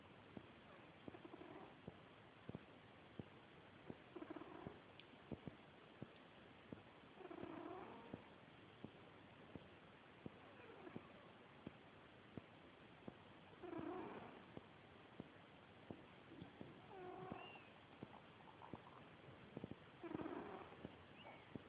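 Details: Sleeping pet cat Bowy, a female, snores in slow, irregular breaths. Soft buzzing, rasping snores come every few seconds with a low hum in them, and faint crackling clicks fill the gaps.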